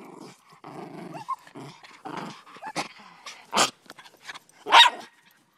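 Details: Miniature Pinscher / Rat Terrier mix growling during play while being told to let go of a fetch toy; low rumbling growls in short bursts, then a few sharp, noisy bursts near the end.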